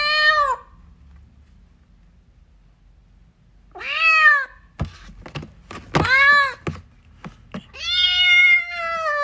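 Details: A kitten wanting its mother meows four times, the last call long and steady, while several sharp thumps and knocks sound in the small room between the cries.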